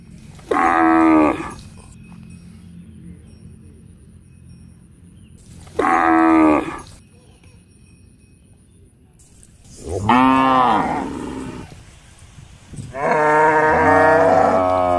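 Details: Cows looking for food in a housing complex: four loud, harmonic bellows, each one to two seconds long, some bending up and down in pitch, spaced a few seconds apart with quiet gaps and a faint steady background hum.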